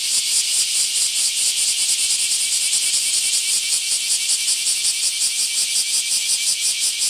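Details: Bear cicadas in mass emergence at a park in Akashi, Japan, July 23: a dense, continuous buzzing chorus high in pitch, pulsing rapidly about two to three times per second with no gaps, no other sounds evident.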